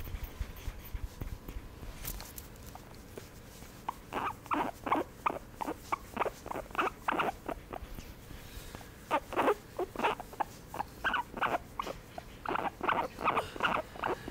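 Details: Guinea pig during a massage: quiet start, then bursts of short broadband squeaky pulses from about four seconds on, coming in rapid clusters with brief pauses.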